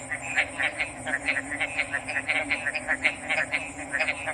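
A frog chorus of quick, clicking-trilled notes repeats several times a second, many voices overlapping. A steady high hiss of insects or background noise runs underneath.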